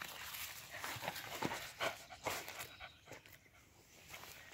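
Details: Lagotto Romagnolo dog searching outdoors for bianchetto truffles (Tuber borchii), breathing in quick, breathy, uneven bursts about two or three per second, loudest in the first half and then fading, with brief sniffing sounds.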